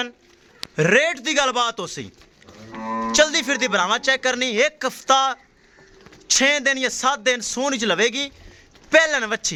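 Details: Mooing from a Jersey Friesian cow for sale in Pakistan: repeated loud, harmonic calls in long bursts with brief pauses between, rising and falling in pitch, with the lowing continuing across most of the recording.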